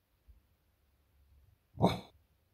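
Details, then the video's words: Female beagle giving a single bark played in slow motion, one drawn-out deep bark with a rough, smeared tone, preceded by faint low rustling. "7 Cute Beagle Barks!"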